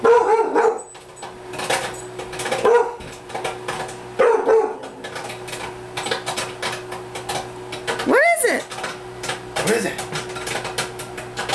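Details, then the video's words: Indoors, pet Rottweiler Bailey barks at popcorn popping in a microwave, reacting to it as a threat: several short rough barks early on, then a human voice call, with constant popping clicks and a low appliance hum. "Bailey Barking at Popcorn"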